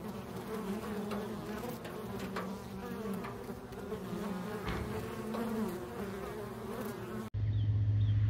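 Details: Honey bee swarm from a backyard hive, hanging in a cluster on a low pine branch as it is knocked down; a dense, steady low hum with faint wavering tones, ending in an abrupt louder handling noise.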